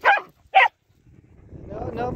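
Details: Dog barking as a Maltese shih tzu and a cockapoo meet: two sharp, loud barks about half a second apart, followed by a person speaking to the dogs.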